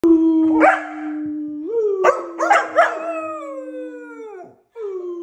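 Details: A kelpie puppy named Jett gives a long, steady howl broken by a few sharp yelps.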